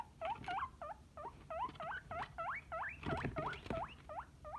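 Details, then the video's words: Guinea pig wheeking in a steady run of short, loud, upward-sweeping squeals, about three each second. Rising whistled notes with strong overtones. A few soft knocks are heard partway through. "Guinea Pig Sound Effects"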